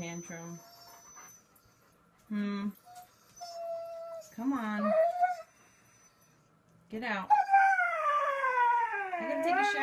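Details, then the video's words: Siberian Husky 'talking' with a series of short whines and yips, then a long, wavering howl that rises and slowly falls over about three seconds. Light background noise indoors. "Funny Husky Videos Talking"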